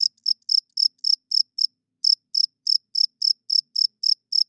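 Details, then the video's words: Cricket calling at night, a male rubbing its wings to attract females and hold territory; short bright chirps come in two runs split by a gap of almost half a second, set against total silence. "40 Minutes of Cricket Chirping Sounds - Cricket klinkt 's nachts luid"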